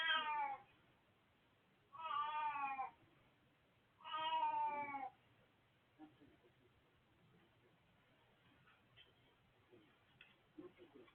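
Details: Elderly male cat Hachi calling on 20 March 2024: three clear, nasal meows about two seconds apart, each lasting nearly a second, followed by quiet room noise with small faint sounds.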